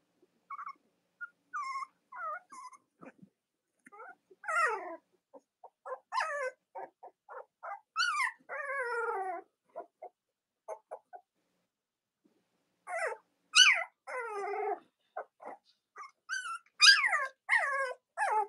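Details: Cavalier King Charles Spaniel puppies from Robin and Myra's litters, with nursing mothers nearby, squeal and whimper in short rising and falling harmonic cries. The cries come in irregular bursts, some brief and some drawn out, with quiet gaps between.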